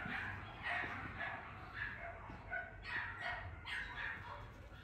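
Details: A Lhasa Apso puppy, male, yaps in bright, high-pitched barks in clusters about every half second to a second, with soft human voices murmuring faintly underneath.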